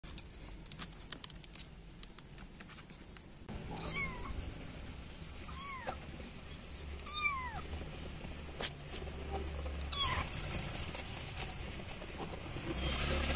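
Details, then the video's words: Kitten calling for its mother cat: after a quiet start, a series of short, high, arched meows, each rising then falling, spaced a second or two apart over a low background hum. "Suara anak kucing meow-meow • cara memanggil induk kucing"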